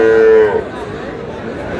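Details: Sahiwal bull calves at the start of trading at Aftabganj cattle market in Dinajpur on 4 August: one short, steady, tonal moo lasting about half a second, then fading into a background of market crowd murmur.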